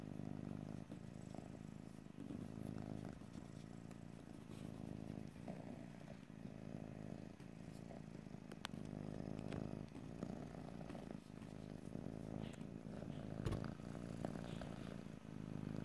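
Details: Domestic cat purring steadily in close stereo recording, a continuous low rumbling drone with breath-paced swells and brief pauses, a few faint clicks and rustles, no talking.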